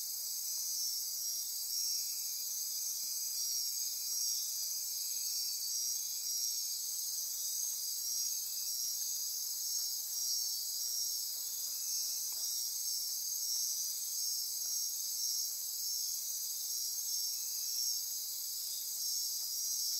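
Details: Dense nighttime insect chorus from the rainforest near Corcovado National Park, Osa Peninsula, Costa Rica, sustained shrill buzzing and pulsing trills at several pitches, with faint brief ticks midway.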